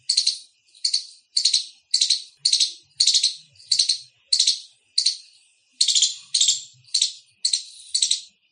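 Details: An Indian palm squirrel gives loud, harsh chirps, repeated about twice a second in a steady run.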